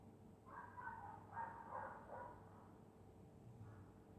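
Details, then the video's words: Dog asleep on a winter night in Scotland, giving soft nasal snoring sounds: a cluster of breathy, murmuring pulses over about two seconds, then a faint final one, with a steady low hum underneath. "Dog snoring in Winter night"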